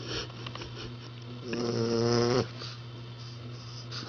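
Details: A puppy snores in its sleep, giving one long, buzzy inhaled snore with a wobbling, whistly tone lasting close to a second, after soft rustling and room hum.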